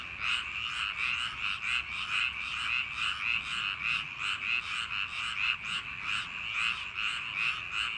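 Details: Frogs calling on a summer night in paddy fields: a dense chorus of rapid, pulsing croaks repeated several times a second, overlapping voices forming a steady ringing trill throughout.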